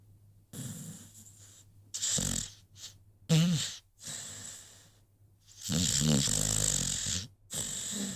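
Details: American Pit Bull Terrier named Rocky sleeping, giving uneven snores: short rough snorts, then a longer rattling breath lasting over a second, separated by near-silent pauses.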